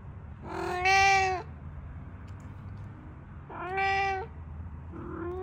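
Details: Domestic cat meowing indoors to ask to play in the yard: three drawn-out, harmonic meows, the first two loud and evenly spaced about three seconds apart, the third starting just as the recording ends, over a low background hum.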